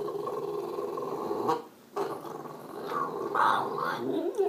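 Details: Excited pet French Bulldog named Kermit, happy about the weekend; long throaty, gargly grumbling with a brief pause near the middle, then rising, warbling moans.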